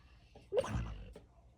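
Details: Sleeping female dog, described as usually silent, gives one short snorting huff with a brief squeaky whimper at its start, followed by a faint second puff of breath in a quiet indoor room.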